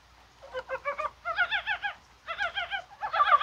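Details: Chorus of Korean brown frogs on a rainy, unusually warm January 21st, possibly spawning: nearly continuous series of quick, bubbling, clucking pulses in grouped runs, with overlapping voices toward the end.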